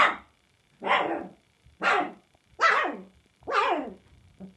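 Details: Samoyed puppies barking, recorded 7 March 2020: five loud, fairly high yapping barks about one second apart, each with a falling tone, ending in a short soft yelp; quiet background.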